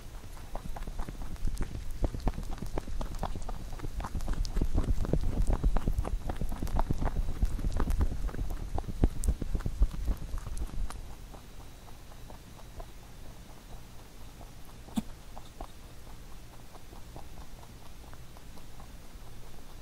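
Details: Pet rabbit eating a carrot songpyeon given for Chuseok; vigorous rapid crunching, nearly four clicks a second, loudest in the first eleven seconds, then fading to softer, sparser nibbles.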